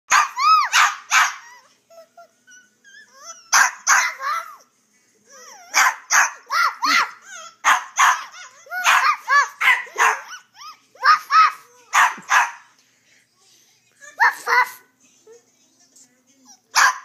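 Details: Pet dog barking while a young girl talks to it and encourages it; short sharp barks in quick bursts, often two to four together, mixed with the child's high voice and laughter.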